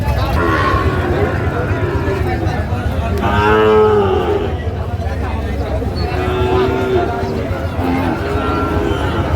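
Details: Sahiwal breed bull at a cattle market in Bangladesh on 31 January 2025, one drawn-out harmonic moo near the middle, amid a constant murmur of crowd talk and traffic noise.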